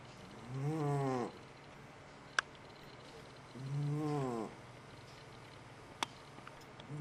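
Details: A sleeping domestic cat snores loudly: two long, low, rasping breaths with rich stacked harmonics, each lasting under a second and spaced about three seconds apart, with a couple of sharp clicks between them.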